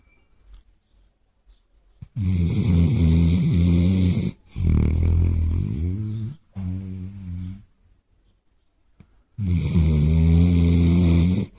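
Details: A Basset Hound asleep on a sofa with his head on a pillow snores in long, low, rumbling breaths, each drawn out for about two seconds.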